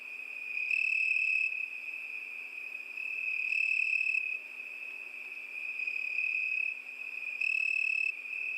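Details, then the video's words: A cricket's continuous shrill chirring holds one high pitch throughout, swelling into brighter, louder bursts about every three seconds over a soft, even background hiss. "Пение Сверчка"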